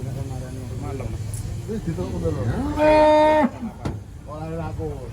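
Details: An emaciated cow, just helped to its feet by people, lets out a brief, steady moo under a second long amid men talking and a low engine rumble.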